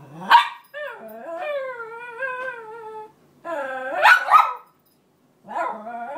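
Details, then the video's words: Crying female Cairn Terrier wanting her bed back: a sharp yelp opens long, quavering high whines, followed by louder yelping howl-like cries and a final short whimper. "Cairn terrier crying continues to get her bed back"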